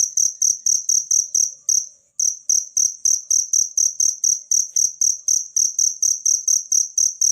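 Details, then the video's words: Cricket from nature, offered as a tutor track for champion songbirds, chirps rapidly in shrill high pulses, about four a second, breaking off for a brief silence near two seconds before resuming the same rhythm. "suara jangkrik alam buat masteran burung gacoan anda"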